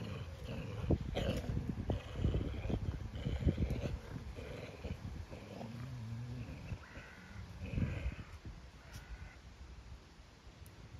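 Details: Two farm dogs in County Kilkenny, Ireland, play tug of war over a piece of scrap timber one morning. Gruff, rasping growls come in clustered bursts, strongest early and easing off toward the end.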